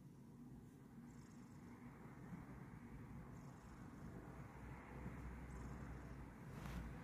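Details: Kokoa, a Bengal cat, relaxing while receiving a massage indoors: a steady, low rumbling purr with fine rapid pulsing, continuous throughout, growing slightly louder toward the end, with a few faint soft rustles above.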